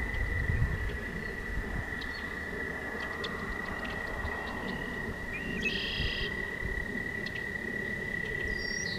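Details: Toads sing at night along a walking path, a long, steady, high trill that holds one pitch over a low background rumble.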